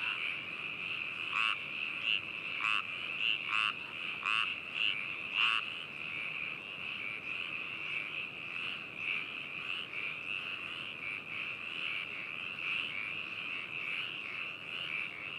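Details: Frog chorus at Hakushu in Hokuto, Yamanashi, Japan, recorded binaurally on 4 May 2018. A few loud, raspy, pulsed croaks stand out in the first six seconds, then a dense, even trilling chorus continues.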